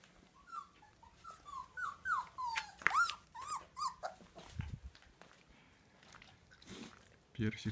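Siberian husky puppies give a run of short, high, bending whines and yelps, then a person talks.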